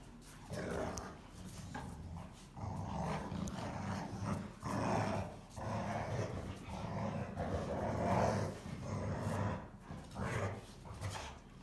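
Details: Two Rottweilers playing together and arguing over who is tougher give low, throaty growls in uneven rumbling bursts, each swelling and fading within a second or so, deep and steady in pitch with occasional louder snarling surges.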